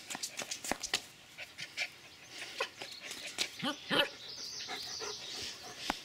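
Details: Excited Sheltie puppy named Ellie welcoming someone home and playing at their feet: rapid rhythmic panting puffs building to a short whining whimper, with fond baby talk from a woman close by.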